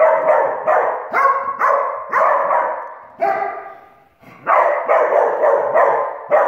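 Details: Two Dachshunds playing and chasing each other in the house give rapid, sharp, mid-pitched barks and yaps, overlapping in ragged, excited clusters with brief pauses between.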